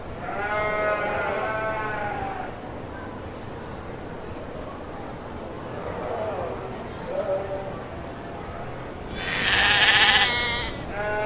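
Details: Domestic sheep bleating: a wavering bleat at the start, faint softer calls in the middle, then a loud harsh strained bleat near the end, with steady background noise throughout.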